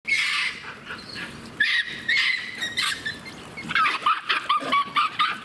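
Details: Japanese macaques at breakfast time at Kamine Zoo, Hitachi, Ibaraki, on 21 October 2017 give overlapping tonal coos and squeals, rising and falling around a high, clear pitch.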